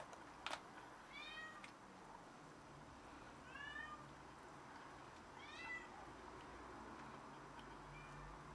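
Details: After catching a rat and carrying it in to show off, a cat utters three clear meows about two seconds apart, each arching up then down, then a fainter fourth, with a sharp knock at the start.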